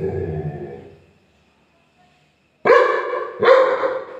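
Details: A Labrador Retriever, described as angry, gives two loud, harsh barks less than a second apart after a low rumbling start.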